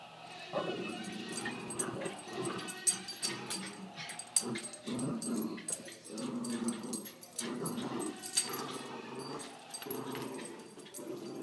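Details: Puppies playing; rough, low growls and short grumbling yaps in repeated bursts, with scuffling noise throughout.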